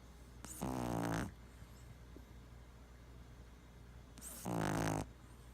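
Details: A sleeping Boston Terrier, twitching in his sleep, snores in two long, rattling breaths a few seconds apart.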